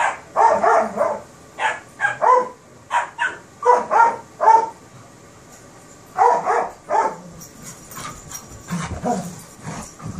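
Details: Playful terriers, a Kerry Blue Terrier puppy with an Airedale. Bright, clipped barks tumble out in rapid runs for several seconds, then fall quiet and resume as softer, rougher growl-like yaps toward the end.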